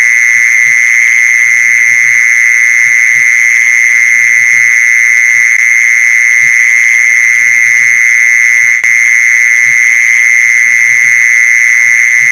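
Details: Mole cricket sound used as a lure for catching mole crickets, heard as a constant shrill whirring trill with no pauses or change in pitch, over faint irregular low taps and one brief click.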